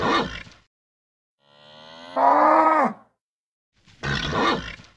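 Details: Nervous bull giving loud bellows: a harsh rasping burst, then a long drawn moan rising into a strained roar lasting about a second and a half, followed by another rough bellow after a pause.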